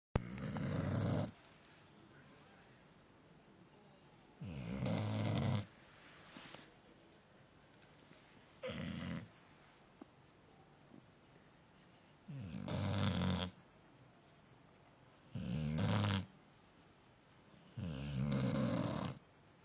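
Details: Sleeping dog snoring steadily: six loud, low, rumbling snore phases of about a second each, returning every three to four seconds with quiet pauses between.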